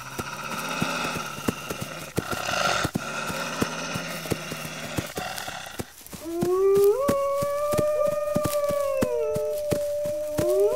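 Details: Wolves howling: after a rough, noisy opening, a clear howl rises in steps, holds a long plateau, then drops, and a second voice rises at the end. Rhythmic clicking taps run through the clip.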